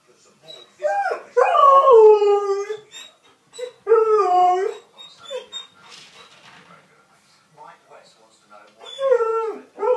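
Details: A 6-month-old Alaskan Malamute puppy gives long, wavering howls with rich harmonics, each sliding up then falling away, with softer whines and yodel-like grumbles between and a faint human voice behind.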